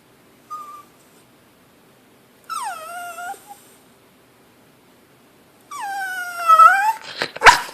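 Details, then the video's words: Pet dog Maci begging for food while a person eats lunch: a short high whine, then two long harmonic whines that drop in pitch and level off, the last rising at its end, finishing in sharp, noisy yips. "Cute dog begging for food"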